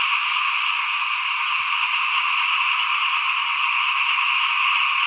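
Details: At rice sowing time in 2021, a crowd of small frogs calls in front of a house. Their dense, buzzing trills blend into one continuous chorus, broken only by a single soft click.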